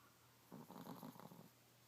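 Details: Sleeping male Chihuahua snoring: one short rough, fluttering breath lasting about a second, over a faint steady hum.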